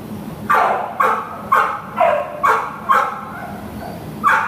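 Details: Pit Bull terrier at a shelter, available for adoption, June 2015: a run of seven sharp, loud barks in a fairly steady rhythm, about one every half second, with a short pause before the last bark, over a low room hum.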